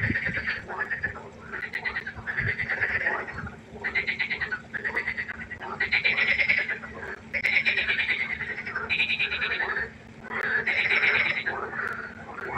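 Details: Nighttime pond frog chorus: loud, rapid pulsed croaks in dense bursts of about a second, one after another with short gaps, several frogs overlapping.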